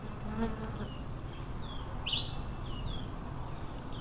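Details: Low, thick buzzing of a wild Africanized honey bee swarm runs without a break, overlaid by a few high, falling bird chirps and one brighter, louder call at about two seconds.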